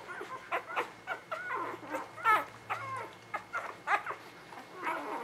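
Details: Spring 2017 litter of newborn puppies squealing in short, sharp, repeated cries roughly every half second, some bending upward, over a low hum and soft handling noises.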